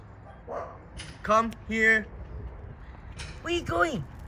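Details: Maltese x Chihuahua cross confronting a mastiff, giving high-pitched barks: four sharp, tonal yaps in quick pairs across a few seconds, with a woman's voice nearby and some low background rumble.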